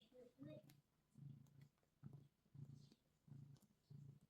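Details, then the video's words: Domestic cat purring while kneading, low rumbling purr in bursts roughly every 0.7 seconds, with faint voices and small rustles indoors. "Kneading and Purring"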